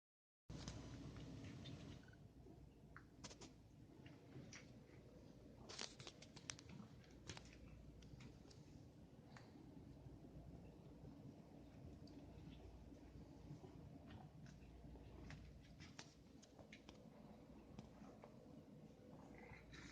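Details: A male pet cat purrs while playing indoors with a bath stopper, a steady low rumbling texture running through the whole stretch, broken by scattered sharp clicks and tapping from the stopper and small movements.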